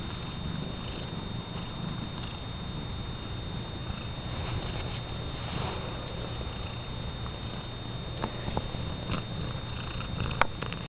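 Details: Pet cat with freshly painted red toenails, purring while its owner baby-talks to it indoors; a soft, steady, low rumbling purr runs throughout under a faint constant hum, with a few light clicks near the end.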